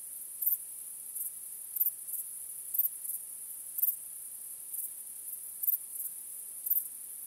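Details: Crickets chirping on a starry night, soft and very high-pitched, a thin steady shimmer broken by louder bursts roughly once a second.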